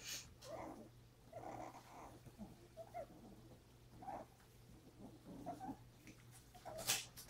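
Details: Pepper, a mother dog, with her puppies on January 30; faint short squeaky whimpers, high and thin, come in scattered bursts over a steady low electrical hum.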